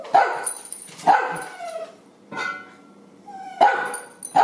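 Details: Ida, a fiery pet dachshund, barking indoors for her breakfast of canned dog food, kibble and farro: four sharp, fairly high-pitched barks, spaced about a second apart with a longer pause in the middle.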